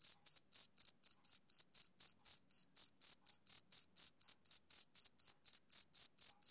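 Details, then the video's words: Steady chirping of a male cricket on a summer evening. Bright, high-pitched pulses come roughly four per second, evenly spaced, over a silent background. "Cricket Chirping"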